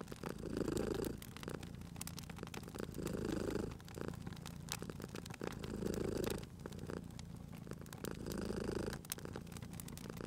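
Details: Domestic cat purring by a crackling fireplace, the steady low rumbling purr swelling in four long breaths about every two and a half seconds, with sharp pops and snaps of the burning fire throughout.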